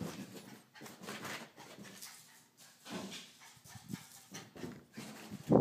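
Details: A female Jack Russell Terrier puppy in the morning, full of energy and running around, gives soft, scattered yaps and whimpers with short pauses between them.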